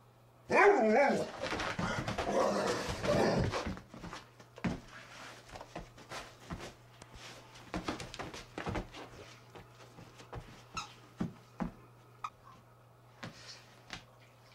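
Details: Rhodesian Ridgebacks Zahara and Weya roughhousing in the morning inside a room: an opening burst of loud growling and barking, then fading to scattered soft huffs, clicks and thumps.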